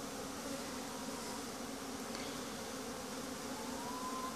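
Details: Honey bees making a winter cleansing flight around noon at Langstroth-Root hives, with a mass flight under way. A dense, steady hum with a low droning core and layered overtones holds evenly throughout, with a faint rising whine near the end.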